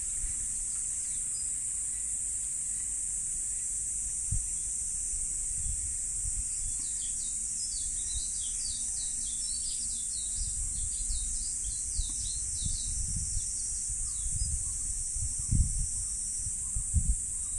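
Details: Summer cicadas at Jugosha Shrine in Wakamatsu, Kitakyushu, Fukuoka, in mid-July 2023 keep up an unbroken, high-pitched buzzing hiss. Bursts of quick, sharp bird chirps join midway, over a low rumble of wind or distant traffic.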